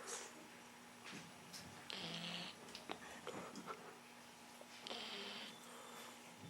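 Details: Dylan, a dog on a first visit to the vet, snores fast asleep: hissing, airy breaths about every one and a half to three seconds over a steady low hum, with small clicks and shuffles around.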